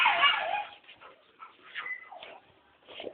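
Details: Rottweiler dog: a loud, harmonic whining yelp opens, then fades into faint, scattered whimpering squeaks and short nasal whines over about three seconds.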